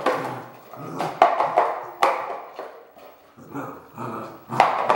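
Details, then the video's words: Red merle Border Collie barking in sharp, loud bursts near the start, middle and end, with rougher, drawn-out vocal noise filling the gaps between barks. "BC Red Merle - Barking"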